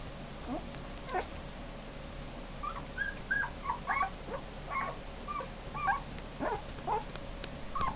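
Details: Female puppy giving a scattered series of short, high whimpers and whines over eight seconds, each bending up and down in pitch, with a steady faint hum behind.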